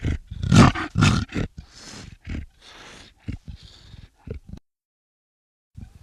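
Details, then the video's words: Black leopard giving loud, harsh growling snarls in quick bursts during the first second and a half, then softer breathy rasps and short grunts that fade out, with a brief low growl at the end. "Black leopard Sound Effects"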